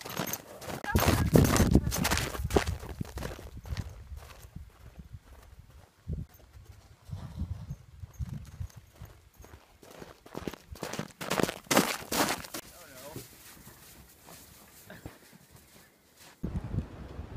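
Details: Purebred Arabian mare galloping and bucking around her field, high-spirited; heavy, irregular thudding hoofbeats come in fast runs, with people talking nearby between the bursts of running.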